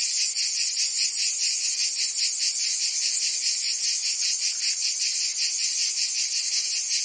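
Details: Cicadas singing on a summer day in Provence, France: a dense, shrill, high buzzing chorus that throbs in steady pulses about two or three times a second, with no other sounds.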